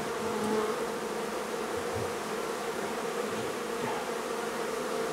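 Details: Honey bee colony being relocated from a barn in La Feria, Texas: a thick, unbroken hum of many wings, steady in pitch and loudness, with faint handling noises underneath.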